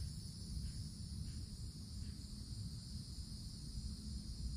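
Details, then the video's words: Cicadas heard in summer forest, sounding a constant high, shrill droning chorus in two pitch bands, steady and unvarying, with a low rumble beneath. "Forest Canopy in the Summertime With Cicadas Sounds"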